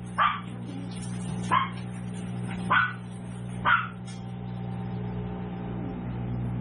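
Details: Seven-week-old tiny toy poodle puppies at a home breeder yip four times in quick succession, each bark high and clipped, about one per second, then fall quiet against a constant low humming background.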